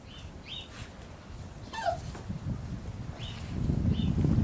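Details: Labrador Retriever puppies at six weeks old give brief, high, thin squeaks and whines, scattered one at a time, one dropping sharply in pitch, over growing low rumbling and shuffling.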